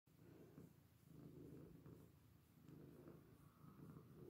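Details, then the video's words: Domestic cat purring while lying in a washbasin indoors; a low, continuous rumbling purr with pulsing swells of loudness roughly every second as the cat breathes in and out, no other clear sounds. "Schnurren im Waschbecken"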